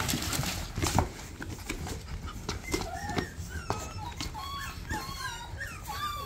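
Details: Shih Tzu puppies from a breeder, several lively young dogs indoors in a small room; high, thin whimpering whines rise and fall repeatedly through the second half, over soft rustling and thumps.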